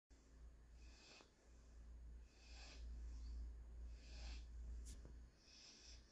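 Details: German Shorthaired Pointer puppy named Panzer during his daily nap on Tuesday, 2/9/21. He breathes in soft, hissing, snore-like bursts about every 1.2 seconds over a steady low indoor rumble.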